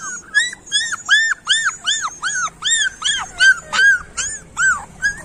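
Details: Street dog puppies crying in loud, evenly spaced, arching whines, each a short rise-and-fall squeal repeated about every third of a second, with little else in the background.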